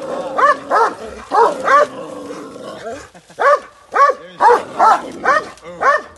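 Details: Kangal dog at the Bashaj Village guest house giving sharp, ringing barks, paired at first, then spaced about half a second apart after a short quiet gap.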